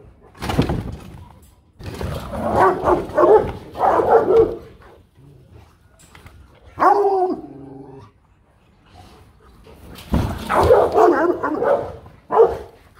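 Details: Guard-dog Rottweilers give clusters of hoarse barks, a drawn-out whining howl around the seventh second, then another loud flurry of barking near the end after a quiet stretch.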